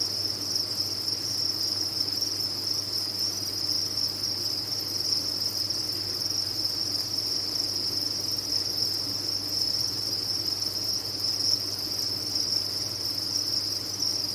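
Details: Dense chorus of many farmed crickets, a steady high shimmering trill that never breaks, with a faint low hum underneath.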